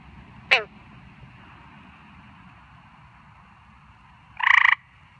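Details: Frog calling at night: a sharp click early on, then one short, pulsed, rasping croak near the end over a faint low background hum.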